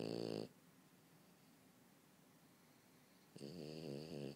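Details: French Bulldog asleep on the couch: a snore trails off at the start, a quiet pause of about three seconds follows, then another rattling, nasal snore builds.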